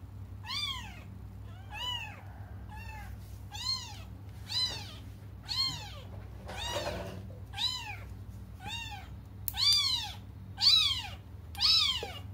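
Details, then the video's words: Young cats crying while they wait for their mother: a steady run of about a dozen bright meows, each rising then falling, roughly one per second and growing louder toward the end, over a low indoor hum. "until their mom comes just stop crying"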